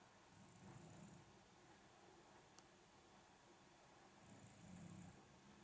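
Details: Snoring of an older Shiba Inu whose snoring has increased with age: two low, throaty snores near the start and end, each with faint airy hiss, quiet room between breaths.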